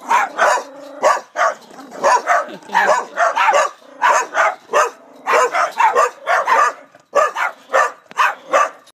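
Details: Barking dogs; a rapid, continuous series of sharp, mid-pitched barks and yips, roughly two to three per second, with overlapping voices suggesting more than one dog.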